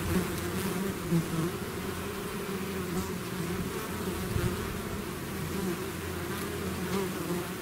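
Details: Bees swarming out of their hive: a thick, unbroken hum of countless wings, low and droning, with slight rises and dips in loudness and no other sounds standing out.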